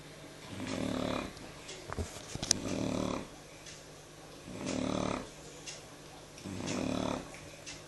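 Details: Shar Pei Jyo snoring in sleep on the evening of 13 November 2014; four soft, hoarse snores spaced about two seconds apart, with a brief cluster of sharp clicks near the second snore and a faint steady hum.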